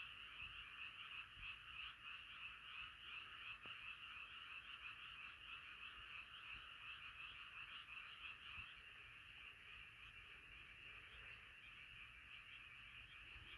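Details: Many frogs calling together at night, a thick, even wall of rapid pulsing croaks that holds steady for the whole stretch, fading slightly toward the end, with no competing sounds.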